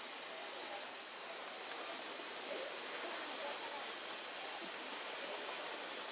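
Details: A dense cicada chorus in a Japanese summer, 2014, reportedly over 120 dB, produces a steady, shrill, unbroken buzzing hiss. The intense high drone swells slightly in loudness, then eases back near the end.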